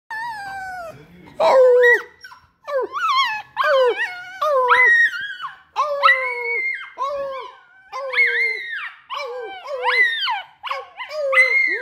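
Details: Miniature Australian Shepherd howling, recorded February 7, 2021: a run of loud, wavering howl notes, some sliding up sharply then falling, others held and bending, broken by short pauses, with no other clear sounds.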